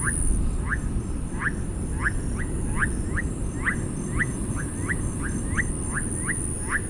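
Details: Chorus of túngara frog calls, each a brief downward-sliding whine, following one another every half second or so in uneven rhythm, set against dense low-frequency rumbling noise and a constant thin high hiss.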